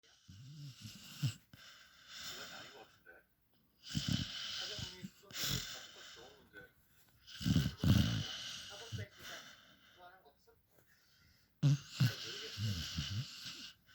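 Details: Sleeping puppy snoring loudly, described as sounding like a person: raspy, broadband snores in separate bursts of one to two seconds, with rattling low pulses and quiet gaps between breaths.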